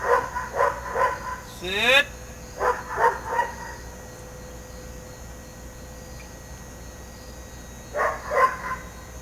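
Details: German Shepherd named Eros, during dog training: three bursts of quick, repeated barks, one near the start, one a moment later and one near the end, separated by quieter gaps with a steady background hum.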